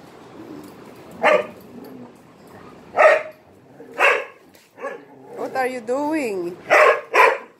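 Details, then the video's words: Dog barking for attention while playing with three Malinois; short sharp barks spaced one to two seconds apart, with a whining, rising-falling voice in between. "He bark too much for attention!"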